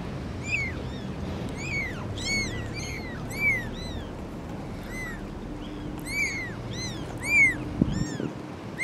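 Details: Cat with her four kittens: a string of thin, high, bowed mews, some faint and some louder, irregularly spaced over a constant low hum, with a brief click near the end.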